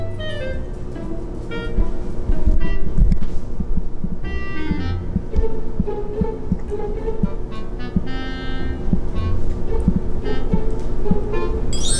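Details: Background music with bowed strings and plucked, percussive notes plays throughout over a low rumble, with no animal sounds.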